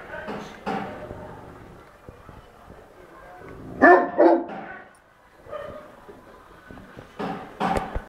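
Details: Barks from a dog that is confused and angry after people make strange noises; short barks cluster around 4 seconds and again near the end, while people talk quietly throughout.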